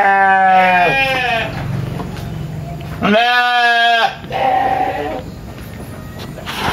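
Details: Tame sheep on a village farm in Indonesia bleating to ask for food: three loud, wavering, nasal bleats, the first long and quavering, the next two shorter, over faint farmyard background noise.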